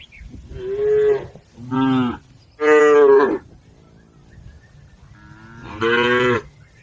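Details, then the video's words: Cattle herd crossing a river on the way to the farm pen: four loud, harmonic moos of about half a second to a second each, with a quiet gap before the last. "Bunyi sapi"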